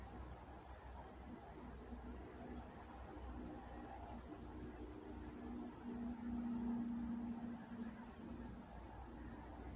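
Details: Night-time crickets recorded in Walnut, California, chirping in a fast, even rhythm of roughly three high, thin pulses each second, unbroken throughout, with a quiet low hum underneath.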